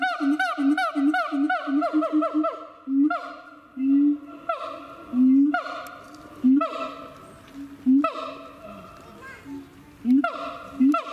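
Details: Siamang at Chiba Zoological Park, Japan: a fast run of short rising whoops repeated about four times a second, then longer swelling notes roughly every second with sharp barks between, the calls ringing with strong overtones.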